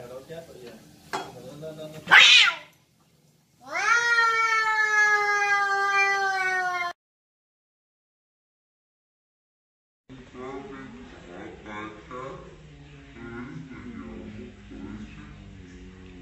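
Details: Cats in a fight give a sudden explosive hiss and spit, then a loud, steady, strained yowl lasting about three seconds. After a silence comes a noisy, muffled stretch of mixed sound.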